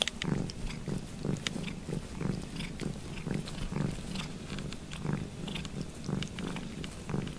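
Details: Grooming cat Ruby Kitty washing Lugosi's foot, purring noisily: low pulsing rumble under frequent wet licking and slurping clicks at close range indoors.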